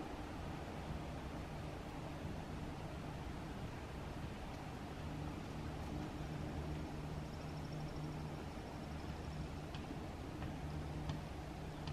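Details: Steady low rumble, like distant traffic or wind, fills the recording, with faint thin tones high above and no animal voice.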